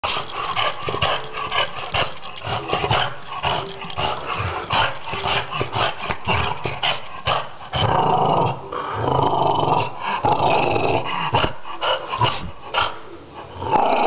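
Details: French Bulldog from Finland growling in rough, rasping bursts that stop and start irregularly, with short breaks and a few sharper snorts between the grumbling.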